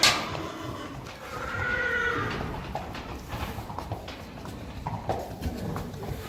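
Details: Friesian mares and young foals heading out to the field, 4 November 2019; a brief wavering whinny stands out over steady wind-like noise and scattered hoof thuds.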